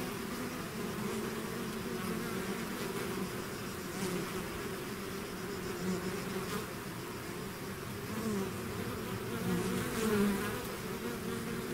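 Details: A swarm of bees out of its hive gives a dense, steady drone of many overlapping wingbeats. The low hum holds an even level throughout, with a few louder individual bees passing close around the tenth second.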